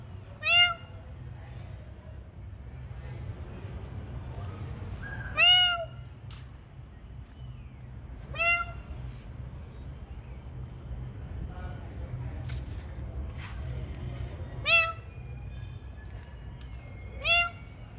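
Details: Night feeding time brings a string of cat meows, each a clear, rising-then-falling harmonic cry, spaced several seconds apart with quieter calls between, against a constant low hum and faint clicks.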